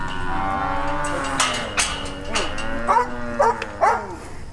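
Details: Brahma, Hereford and Brangus cows during a round-up to sort calves and sell off older animals; a long, steady low moo holds for about three seconds, then short sharp calls break in near the end over a rough background.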